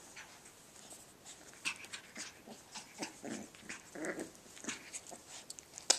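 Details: Cavachon puppies playing, giving soft, rough growls and yips in short bursts about every half second, with scuffling noises between them.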